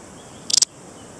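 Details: Single brief high, dry chirp made of about four rapid clicking pulses from a Balearic saddle bush-cricket, an insect found on the Balearic Islands such as Menorca and Mallorca, with quiet surroundings before and after.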